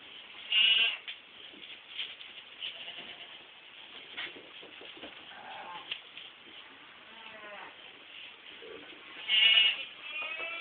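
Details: Goat kids from a 2010 crop give two loud, high bleats several seconds apart, with softer distant bleats and shuffling in between.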